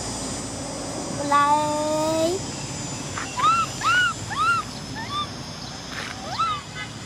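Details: Cola, a baby female orphan macaque, crying because she wants to ride a bike: a thin, rising whine, then a run of about six short arched wails, each rising and falling, with faint background hiss.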